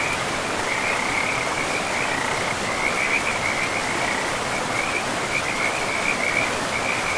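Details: By a river in a pristine, moss-covered forest, several frogs keep up rippling, pulsed trills at a single high pitch, bursts merging into a near-continuous chorus over loud, even water rush.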